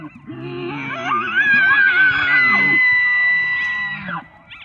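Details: An elk (Cervus canadensis) bugles, a low groan climbing into a long, high, piercing whistle before breaking off, a call given only in the fall mating season.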